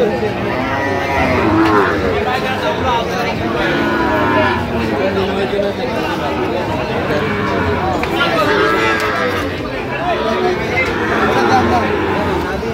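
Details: Sahiwal bull calves at a busy cattle market in Kishoreganj, Bangladesh, on 10 October 2025: several drawn-out, harmonic moos rise over a steady background of crowd chatter and nearby talking traders.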